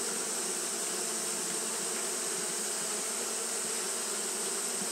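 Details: Many Japanese honey bees fan steadily in the heat, their wings giving a constant droning buzz with a faintly pulsing low tone and a continuous high hiss.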